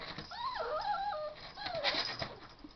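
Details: Max, a pet dog who loves his Ruby, whines indoors: high, wavering whimpers that slide up and down in pitch for about two seconds, with a person's voice nearby.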